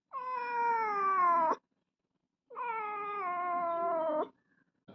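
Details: Domestic cat giving two long, drawn-out meows of about one and a half seconds each, slightly falling in pitch and separated by a short silence, in a quiet room.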